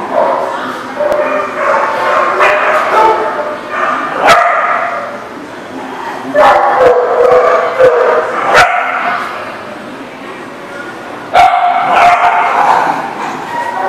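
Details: Dogs barking, recorded on 10/4/19: loud irregular bursts of sharp barks and higher yips, several close together, with sudden clattering knocks and faint voices between the bursts.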